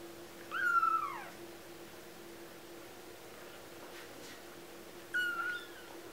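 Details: Two clear, falling mews from 2-week-old kittens, one of four littermates, separated by a four-second quiet stretch with a soft steady hum beneath.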